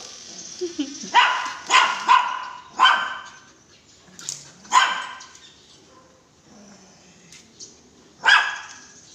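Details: Belgian Malinois barking repeatedly, about seven sharp, ringing barks, some in quick pairs and others spaced a second or more apart, with a person's voice heard faintly between them.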